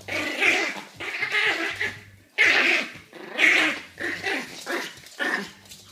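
A tiny Yorkshire Terrier gives high, sharp yappy barks about once a second, sounding nervous.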